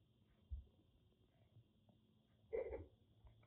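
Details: Rescued stray kitten Ao, a grey Russian Blue-like kitten about four to five months old, playing with timid shelter cat Dora at a Kagoshima kitten nursery; one short, mid-pitched meow after two soft thumps in a quiet room.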